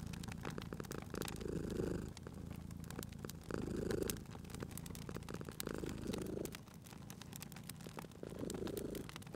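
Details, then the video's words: Domestic cat asleep by a crackling fireplace, purring in a cozy spring ambience; deep vibrating purr rising in louder breath phases roughly every two seconds, with frequent crackles and snaps from the fire throughout. "Cute Purring Cat at a Crackling Fireplace"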